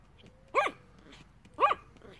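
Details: Yorkshire Terrier begging, two loud clipped high-pitched barks about a second apart against quiet room tone.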